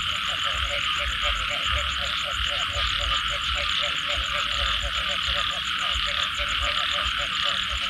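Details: Frogs calling after rain, a dense chorus of short croaking pulses repeated several times a second, layered over a steady high shrill hum of many callers and a low background rumble.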